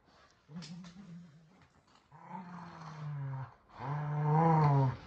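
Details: During a tug-of-war game with their shark toy, Kumo the Keeshond and Sully the Boston Terrier produce a sustained low growl that strengthens in three swells, the last one loudest and richly harmonic.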